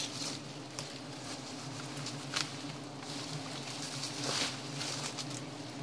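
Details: Giant honey bees (Apis dorsata) during honey hunting: a steady low droning hum with layered tones runs throughout, over crackling rustle and a few sharp clicks. Voices talk just before and after.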